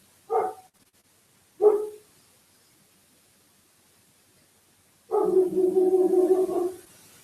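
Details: A household German Shepherd barks indoors while listening to people out on the street. Two short, sharp barks come about a second apart. After a pause, a longer sustained, drawn-out voiced sound follows.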